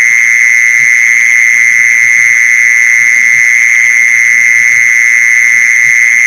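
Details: A mole cricket call used as a lure: a monotonous, continuous buzzy trill at a fixed mid-high pitch and constant loudness. Scattered faint low thuds sit underneath.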